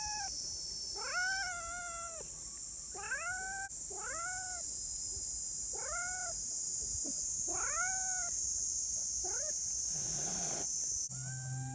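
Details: Friendly free-roaming community cat meowing: a run of short rising-then-falling harmonic meows about every second, some doubled, over a steady loud high hiss throughout.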